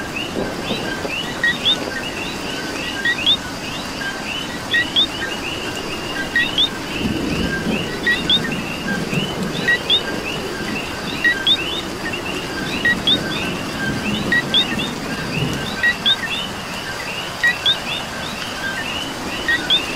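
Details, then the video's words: Many coquis heard together on a rainy night in Puerto Rico, their clipped two-note calls repeating steadily and overlapping, while rain patters throughout and heavier gusts swell in the lower range. "Coqui and Rain"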